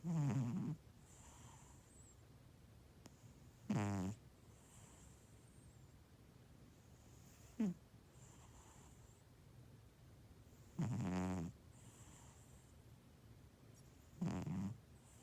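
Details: Domestic cat snoring, filmed as a funny pet named ToTole: low rasping snores with buzzy harmonics, about four loud breaths spaced three to four seconds apart over a quiet room hum.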